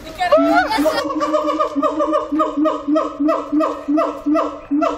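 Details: Captive siamang in song at Zoo Antwerpen, opening with a wavering, rising whoop, then a rapid series of clipped, resonant barks about two per second, evenly spaced and of even pitch.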